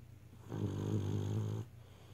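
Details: A sleeping Beagle snores indoors: one long, low, rumbling snore lasting about a second, steady and throaty, then quiet.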